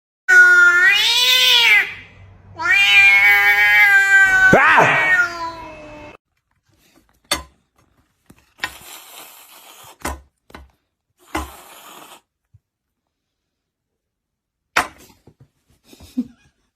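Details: Domestic cat meowing: two long harmonic meows in the first six seconds, the first rising then falling, the second drawn out with a wavering end, followed by scattered clicks and brief noises with near silence between.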